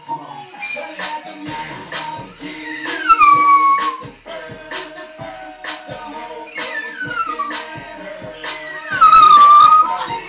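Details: A Chihuahua and a Dachshund howl together, as they do every time the pop song "Apple Bottom Jeans" plays: drawn-out falling tones that waver steadily and rise near the end, over loud, beat-heavy music.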